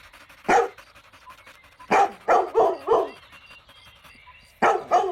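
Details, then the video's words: Puppies drinking milk on a lush green meadow bark sharply: a single bark, then a quick run of four barks, then two more barks near the end, with quiet background between. "Adorable Puppies Drinking Milk on a Lush Green Meadow | Puppy Video | Cute Barking Sounds"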